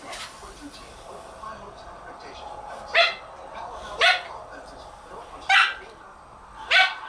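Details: Siberian Husky puppy reacting to air blown in his face during play: four sharp, short yelping barks about a second or more apart, each a quick harmonic burst, over a quiet background with faint television talk.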